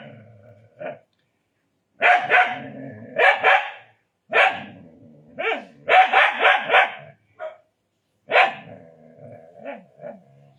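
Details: Agitated Indian desi dog giving strings of loud, rapid barks with a rough, growly edge, bursts running together for several seconds between brief pauses.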